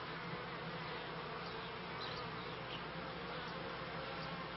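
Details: Continuous droning buzz of kept honey bees, from the end of the 1995 beekeeping season into 1996, thick and unbroken, with a few faint brief ticks above the hum.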